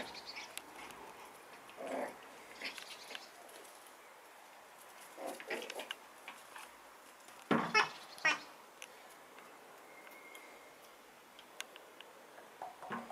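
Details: Schipperke pups, eight weeks old, give brief high whiny yelps in scattered bursts, a cluster around the middle being loudest with several quick squeaks in a row, separated by quieter stretches of shuffling and light tapping.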